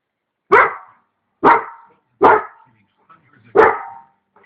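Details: German Shepherd dog barking at people outside: four loud, sharp, deep barks, each a short burst, spaced about a second apart, with faint soft sounds between them.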